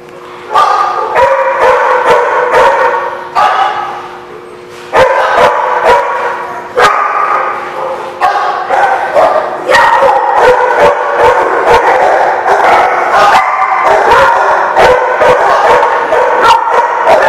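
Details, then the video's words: Dogs at The Barking Lot, recorded 8/12/16, barking in a dense, overlapping chorus of many voices. Sharp barks and yips come almost continuously, with brief lulls near three and six seconds. "The Barking Lot"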